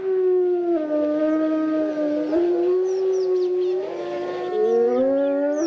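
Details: Iberian wolf howling in Spain: a steady, clear, tonal howl that dips and rises in pitch, with a second voice joining in the last second to form a brief chorus.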